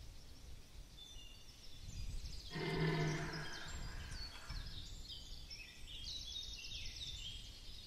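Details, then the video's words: Red deer stag bellowing during the rut at Chambord, Loir-et-Cher, France: one hoarse, low harmonic roar lasting about two seconds mid-clip, over steady outdoor noise, with small birds twittering high above throughout. "Brame à Chambord Loir-et-Cher Cerf élaphe"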